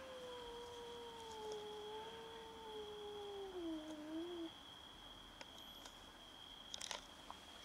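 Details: Domestic cats fighting over food: one long, drawn-out wavering meow lasting about four seconds, sliding slowly downward with a slight rise at the end, over a steady high electrical whine and faint background clicks.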